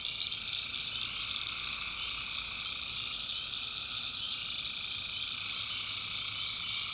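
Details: Nighttime tree frog chorus from North Carolina swamp backwoods, a thick continuous shimmer of high-pitched trills with no pauses and no single voice standing out, plus a fainter lower trill underneath.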